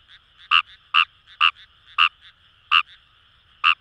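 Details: Close, loud croaks of Fejervarya kawamurai in paddy fields at Itoshima, Fukuoka, Japan: six sharp, buzzy clicks spaced about half a second apart, with a fainter frog trilling steadily underneath.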